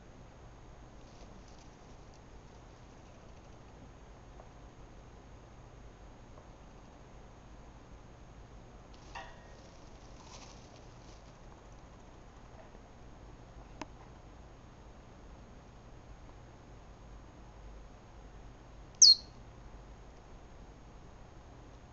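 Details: A pet Richardson's ground squirrel, one of a caged male-female pair probably under a month old, gives a single sharp, high-pitched chirp after a long near-silence; the male chirps frequently, the female teeth-clatters.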